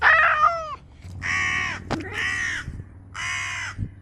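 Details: Domestic cat making unusual calls: a harsh, raspy opening cry followed by three short, hoarse, crow-like bursts of even length, separated by brief pauses, with a faint click between them.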